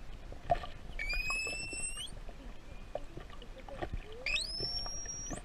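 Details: Curious juvenile pilot whale off Tenerife in the Canary Islands, answering a sailor's whistles, recorded underwater with a hand-held GoPro: two long, rising, harmonic-rich whistles, the second sweeping sharply upward, over steady water and boat noise.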